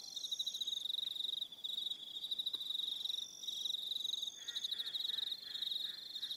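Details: High pulsing trills of evening crickets on Aroha Island, New Zealand, several callers overlapping in bursts with short gaps, a higher steady tone layered above, and a faint lower buzzing toward the end.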